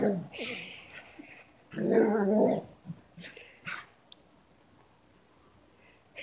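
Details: Female Shiloh Shepherd roaring while she plays: a loud, broad, rough growling roar lasting about a second, framed by shorter grumbles and yips, with a person's voice briefly heard.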